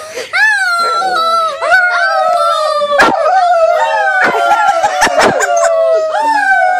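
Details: Mixed-breed dog, rescued from the streets, howling along with people: long wavering tonal howls sliding gently downward, overlapped by human howling voices, with a few sharp clicks and knocks.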